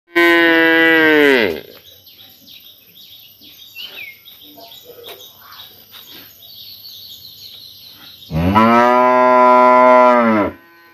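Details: Cows mooing in a village in summer: two long, loud, harmonic moos, one at the start and one near the end, with faint bird chirps in the quiet gap between them.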